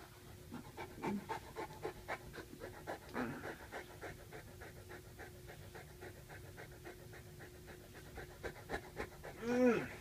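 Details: Sully, a Saint Bernard pet dog, greeting his dad home from work by pinning him down for a hug; rapid rhythmic broadband panting breaths throughout, with a brief human voice near the end.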